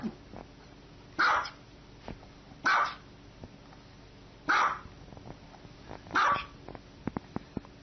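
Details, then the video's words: A dog gives four harsh, slightly drawn-out barks at roughly one-and-a-half-second intervals, with faint clicks and a low background hum between them. "dog barking"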